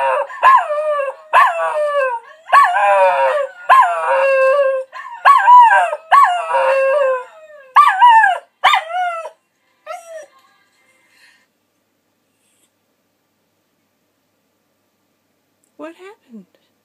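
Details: Grown-up pet Scottish Terrier singing along in harmony, a run of about nine wavering, tonal howls in quick bursts over ten seconds, each sliding and bending in pitch, then near silence with a faint short whine at the end.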